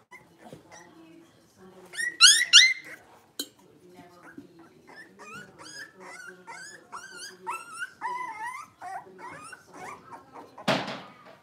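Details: Blenheim Cavalier King Charles Spaniel puppies, a litter of five born at New Year, playing in an indoor puppy pen: rapid overlapping high yips and squeaky whines, a loud shrill squeal burst near the start, and a sharp scuffling thump at the end.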